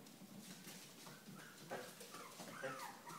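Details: Pups with their mother dog: faint, soft whimpers and thin whines, several short rising-and-falling tonal cries clustering toward the end, over a low steady background hiss.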